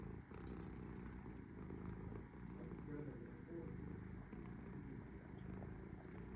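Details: Low rumbling purr from Sora the cat while resting, steady and even across the whole stretch, a gentle vibrating drone with only a small dip early on.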